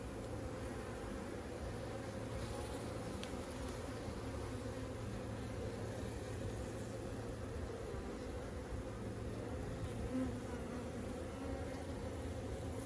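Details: Honey bees during a hive inspection, with drones present in the colony: a dense, steady low buzzing hum from many bees, unbroken throughout, with a brief faint click.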